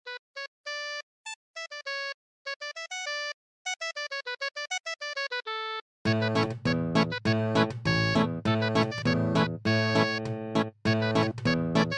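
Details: Playful plinking keyboard notes in short bursts, giving way to fuller, busier instrumental music; no animal sounds.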